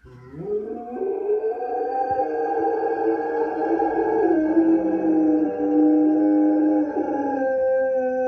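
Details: A dog howls in one long, sustained, wavering tone. It rises at the start, then holds steady for about eight seconds with rich harmonics and slight dips in pitch. Faint background hum.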